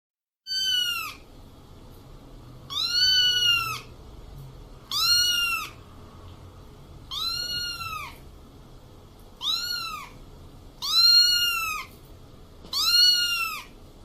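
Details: Kitten giving seven high, arched meows, each rising then falling, spaced about two seconds apart over a faint low hum.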